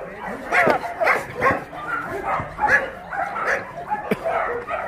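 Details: Shelter dogs at Mindeulle Shelter in Yangsan, South Korea, during play: sharp separate barks spaced irregularly about every second or two, mixed with excited yips and nearby human speech.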